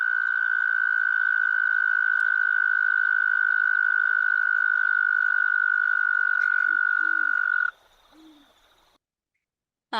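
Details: Arroyo toad, a federally endangered species whose habitat has become fragmented. It gives one long, steady, high trill lasting about seven and a half seconds, like an alarm clock. Low owl hoots follow, then a sudden burst of noise.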